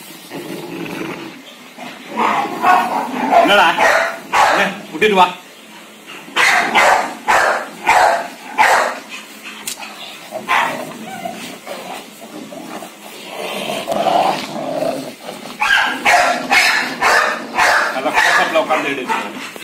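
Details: Male Rottweiler at feeding and exercise time, giving short sharp barks in uneven runs of several, about two a second at their fastest, over a man talking throughout.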